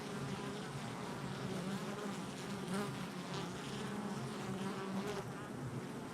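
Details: Continuous droning hum from a crowd of honey bees active at their hive entrance, recorded July 22nd, 2024; an even, layered buzz with brief swells as single bees pass near.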